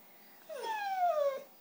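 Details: White female Siberian Husky 'talking' to get cheese doodles: one smooth, steadily descending whine-howl near a second long, rich in overtones, indoors and otherwise quiet.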